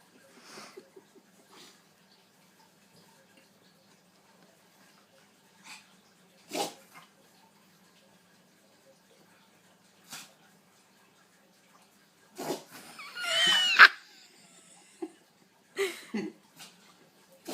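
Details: A pug sneezing indoors: several sharp, breathy bursts spread across the recording, one followed by a longer voiced, whining sound in the middle of the sequence, then two more quick snorting bursts near the end.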